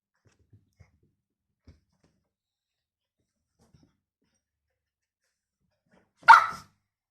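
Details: Toy poodle named Jessika, indoors during a hide-and-seek game, gives one short, sharp bark near the end after several seconds of near silence broken only by faint clicks.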